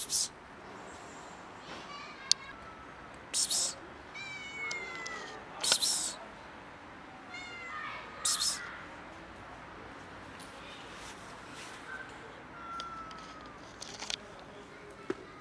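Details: Cat with a broken leg being affectionate: several short meows with rising and falling tones spread through the clip, mixed with sharp clicks, rustling and other high noises.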